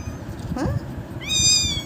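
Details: Hungry one-month-old kitten in a basket, awaiting a feeding bottle, gives a short high, clear meow with a slight waver, preceded by a brief faint squeak, over low background rumble.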